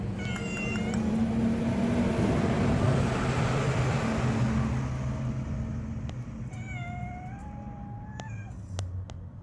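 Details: Several domestic cats huddled together: a few quick meows at the start, then a longer drawn-out meow with a sliding tone later, over steady hiss and low rumble, with a person sighing about being tired.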